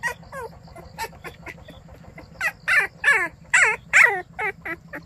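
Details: White baekgu puppy greeting the morning in Cheongdo, Korea: a run of short, high, arched whining yelps, quiet at first and then louder and more insistent toward the end, with a steady low hum underneath.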